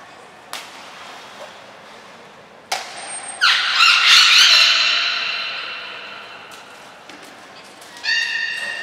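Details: Beluga vocalising during training at Port of Nagoya Public Aquarium, 7 June 2022, with belugas Gray, Nana and Mirai. A sharp click comes first, then a long harmonic squawk that decays slowly, and a final short burst near the end in a reverberant space.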